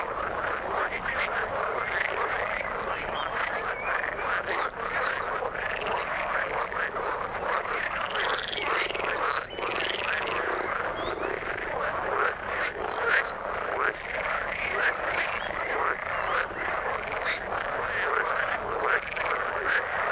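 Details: Many frogs croak together in the water, overlapping pulsed calls with some rising whistle-like notes near the middle, the whole chorus steady and dense.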